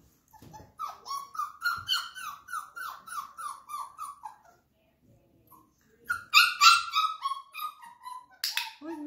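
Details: Flat-Coated Retriever puppies, 34 days old, being introduced to a clicker: a run of high, whiny yelps about three a second, each dipping slightly in pitch, then a short pause and a second, louder bout.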